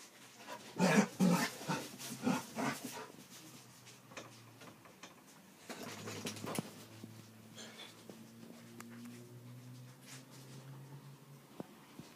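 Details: Dachshund and basset hound playing together: a burst of loud, rough barks and growls in the first three seconds, then quieter drawn-out whining and low growling tones with light scuffling and movement noise.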